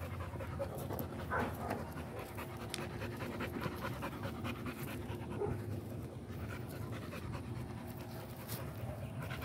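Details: Steady, quick breathy panting from an American Pit Bull Terrier, soft rasping exhalations following one another without pause against a constant low hum.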